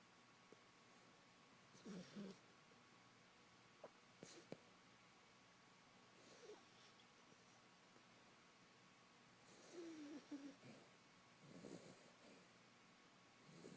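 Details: Female Beagle asleep indoors, snoring loudly: rough, breathy snorts recur every three to four seconds, some with a brief low rattling tone, with faint scattered clicks in between.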